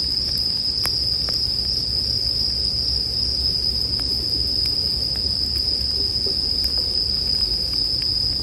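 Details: A continuous, piercing ring of bell crickets is heard beside a campfire, with irregular crackles and pops of burning wood and a steady low rumble.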